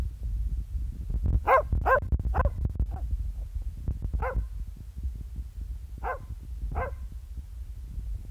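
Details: Billy, a Border Terrier, barking in a friendly way at the camera, August 2015: a burst of four sharp barks, then single barks spaced a second or two apart, over steady low rumbling handling noise.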